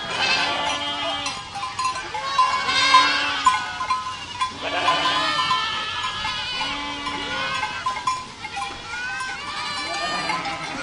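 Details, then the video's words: Herd of goats in full voice: dense overlapping bleats, trembling and nasal, with a deeper steady bleat recurring about every two seconds under higher, shakier cries. "Herd of Goats Sound Effect"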